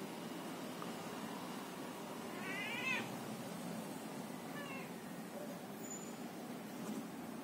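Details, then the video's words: Domestic cat talking, giving a short rising-then-falling meow followed by a briefer, softer second meow a moment later, against a low background hum. "Cat talking"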